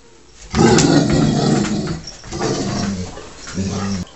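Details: Taz, a pet dog squaring up to the cat Sky, gives a deep, rumbling growl. It swells suddenly, fades, and then returns in two shorter grumbling waves.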